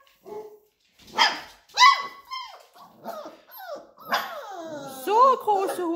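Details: A litter of Labrador Retriever puppies reacting to the owner calling them: a rapid jumble of high yips, squeaky whines and rising and falling yelps from several pups, overlapping with a woman's encouraging German speech.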